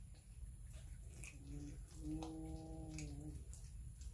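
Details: One of the hungry cats or kittens feeding on raw fish, recorded with a Samsung Galaxy S9 Plus, gives a drawn-out, steady tonal moan lasting about two seconds, with faint chewing clicks around it.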